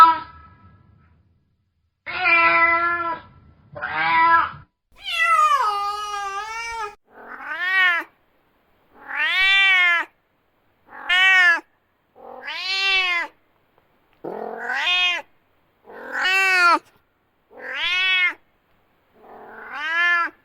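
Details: Domestic cat angrily meowing loudly in a long series: a few flat, harsh meows, then about nine arched, rising-and-falling wails spaced one to two seconds apart, growing more tonal and higher.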